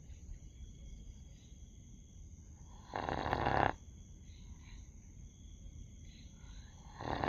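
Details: A dog snoring in its sleep: one rasping breath about a second long, then quiet breathing before the next snore begins at the very end.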